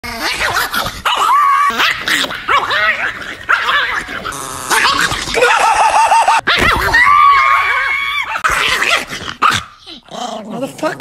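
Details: Angry Chihuahua dog growling and snarling almost continuously, with wavering, rising and falling whiny tones broken by short yappy bursts, loud and close throughout.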